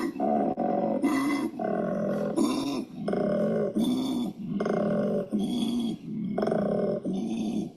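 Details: A male koala bellows in deep, rasping pulses that alternate between snoring inhales and belching exhales, a call that female koalas find attractive.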